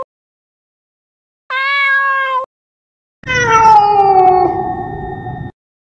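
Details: Cat sounds meant to scare rats and mice: a short, steady, clear meow, a pause of under a second, then a longer, louder, raspy meow that slides downward in pitch.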